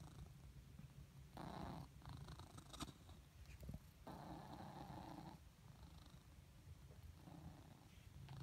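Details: A cat named Blizzard, squeaky after a whole day lying in the sun, purrs with a low steady rumble in long breathy waves, in and out, with faint scratchy squeaks on some breaths.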